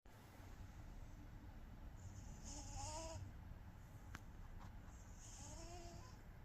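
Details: An exhausted female cat, asleep and twitching, snores softly: breathy hissing inhalations with faint whistled tones near three and five and a half seconds, in a quiet room.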